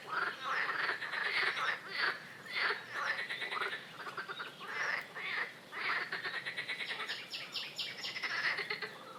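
A chorus of frogs gives rough, pulsed croaks that overlap in rapid bursts.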